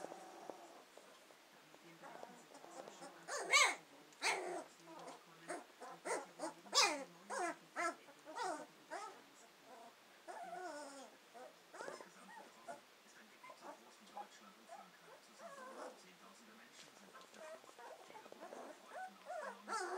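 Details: Litter of Hovawart puppies just over two weeks old, exploring their surroundings, whine and squeal in scattered bursts, louder early on, then fading into quieter intermittent squeaks.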